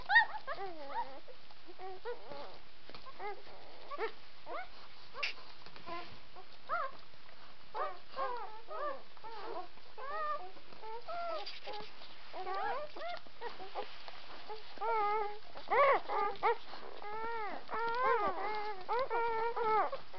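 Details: Several White Swiss Shepherd puppies whining and squeaking together in a steady overlapping chorus, with faint rising-falling whimpers that grow louder and more tonal toward the end.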